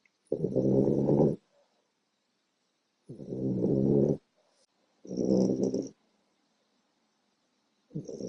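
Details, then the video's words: A small female French Bulldog, four months old, snores deeply in her sleep: a run of rough, rattling, bear-like breaths of around a second each, arriving every two to three seconds. "Little Puppy Produces a Huge Snore"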